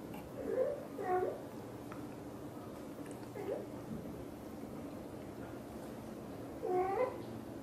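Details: Mother cat Xaxa, a blue golden British Shorthair, talking to her kittens indoors: short soft chirping meows around half a second and one second, a quieter murmur near three and a half seconds, then a paired trilled meow near seven seconds over low room hum.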